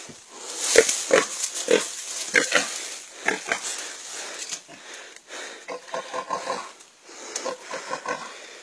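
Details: A pig being encircled and suffocated by an anaconda, giving harsh, wheezy squeals in short irregular bursts over a steady hiss, with faint human voices now and then.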